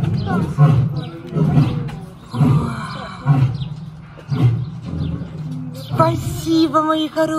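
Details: Lions at the Gelendzhik Safari Park, a rehabilitation centre on the Black Sea coast of Russia, calling back and forth in greeting: deep grunting roars pulsing roughly once a second, with music and a woman's voice in the background.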